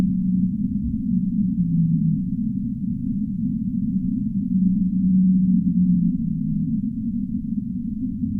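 Low whale calls, long moaning tones that waver and slide over a deep rumbling sea.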